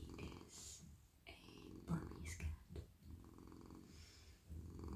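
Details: A male domestic cat purring while being stroked on the head, neck and body, relaxed in a lap indoors: a steady low rumbling purr with rhythmic pulsing, plus soft rustling and brushing sounds from the petting hands.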